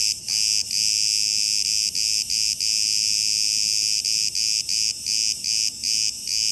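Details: Cicadas in Crete, Greece, calling together: a loud, steady, shrill buzz broken by short dropouts at irregular intervals of roughly a third of a second to a second.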